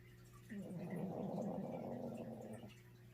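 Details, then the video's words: Hoku, a little pet dog, snoring loudly while asleep indoors: one rough, gargling rattle that swells and holds for about two seconds before fading, low and throaty, over a steady low room hum. "My Little Snoring Dog"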